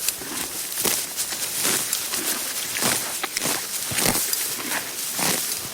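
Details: A horse tearing grass in loud, bright, rasping rips at fairly even intervals of just over a second, with softer chewing crunches in between.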